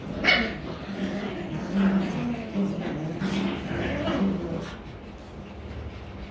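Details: Rottweiler puppies playing and play-fighting indoors in Vietnam, giving low rough growls and short yelps in uneven bursts, with a man's voice faintly in the background.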